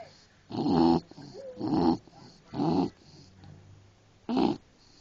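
An English Bulldog snores in low, rasping bursts about once a second, with quiet breathing between.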